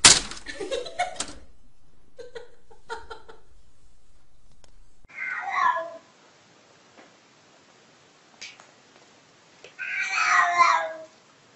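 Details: Domestic cat from a funny-cat compilation: some clatter and clicks, then two short bursts of meowing about five seconds apart, the second louder, with near silence between.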